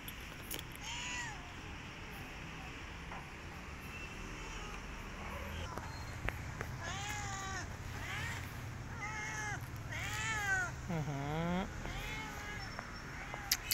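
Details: Stray cat asking for food, giving a run of loud, repeated meows, each with an arched rising-then-falling contour, coming in quick succession after the first few seconds over a low background rumble.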